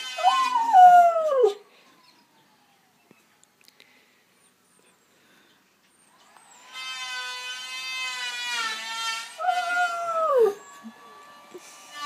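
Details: Dog howling in response to a planer: a drawn-out wavering howl that slides downward opens, then silence, then the planer's whining harmonic drone runs for several seconds before a second falling howl rises over it.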